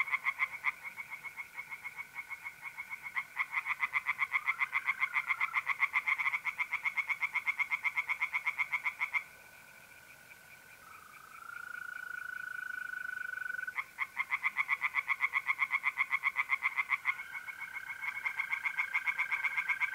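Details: Pond tree frogs in a night chorus, mid-April, north-eastern Italy. Long runs of fast, grating pulses fill most of the recording, broken by a quieter stretch where a steady mole cricket trill carries on alone before the frogs resume.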